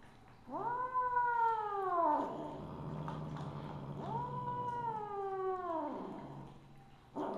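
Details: Misu, a Siamese (Wichienmaat) mother cat, recorded 2/1/2015 at 8:18 PM, gives two long drawn-out meows, each rising sharply, holding steady for over a second and then sliding down, separated by a quiet pause with a low indoor hum.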